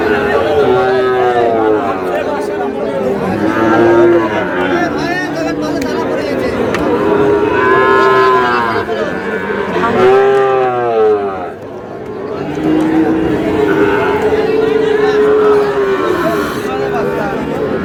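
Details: Sahiwal bull calves, sold to a Natore farmer, bellow repeatedly. Several rich, harmonic moos come every few seconds, some rising then falling in pitch, over constant crowd talk.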